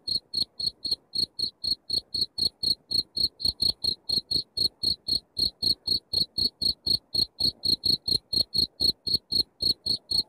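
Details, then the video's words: Cricket chirping, played to drive rats out of a house: a steady run of short, high, buzzy chirps repeated about four times a second, evenly paced throughout with no other sounds. "suara jangkrik masteran untuk ngusir tikus di rumah"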